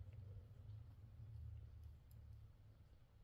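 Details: Purring from a mother cat with her kittens: a deep, continuous rumble with an even pulsing texture, strongest at the start and gently fading near the end, with faint clicks above.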